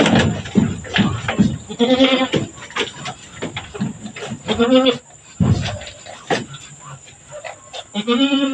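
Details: Goat in labour on a farm, delivering two kids in succession; three short quavering bleats spaced a few seconds apart, mixed with busy human speech and a steady high whine.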